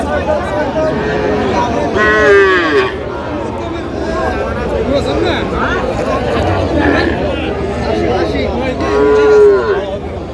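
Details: Small young bulls and heifers at a cattle market in Feni, Bangladesh, on 15 November 2025: several drawn-out, tonal moos rise and fall around 1, 2 and 9 seconds over steady crowd chatter and bargaining voices.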